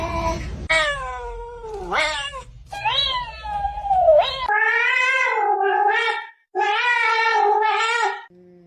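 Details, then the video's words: Housecat 'chatting' in a run of varied meows: short bent cries, then longer wailing, word-like yowls rising and falling in pitch, separated by brief pauses, with some faint background noise early on. "These Cats Speak English Better Than Hooman!"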